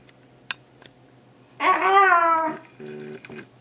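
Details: Lego, an almost two-year-old male Shiba Inu, trying to catch socks and complaining about it: a single drawn-out, yowling cry of about one second, richly harmonic and slightly wavering, after a few faint clicks, then soft low murmurs.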